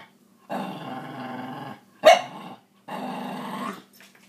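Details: Maggie, a scruffy Cairn Terrier, growls while arguing about sharing her toys indoors: two long rumbling growls of about a second each, separated by a sharp short bark-like snap in between.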